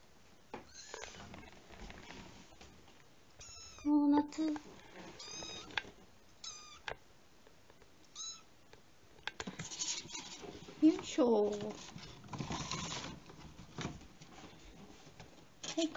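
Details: Kitten kept indoors, playing in a home-made play fence in a room; several high, arched meows with harmonics scattered across the recording, a loud clear meow near four seconds, plus rustling and a person speaking Japanese.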